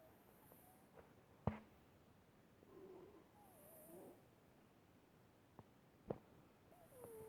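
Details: Pet cat named Noodle, asleep, making odd sleep sounds: faint, wavering, squeaky whistled tones that rise and fall over a few seconds, with a few sharp clicks in a quiet indoor room.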